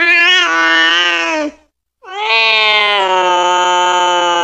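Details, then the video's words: {'caption': 'Cat calling its friends and mother in two long, drawn-out wailing meows, each held steadily for one and a half to two and a half seconds, separated by a short silence.'} "suara kucing lucu memanggil temanya"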